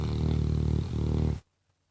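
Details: A pet Labrador Retriever's deep, throaty snore, a steady low rumble that dips briefly in the middle, then stops abruptly into silence.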